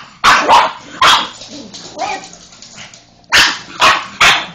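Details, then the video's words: Molly, a pet pug, going crazy at a Hoover: sharp broadband barks, a pair at the start and three more near the end, separated by a quieter stretch of low grumbling. "Pug, Molly going mental at the Hoover"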